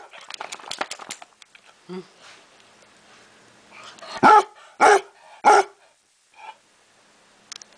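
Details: After some rustling and a soft whimper, a basset hound at home lets out three loud, rough barks in quick succession, followed by a faint huff and quiet.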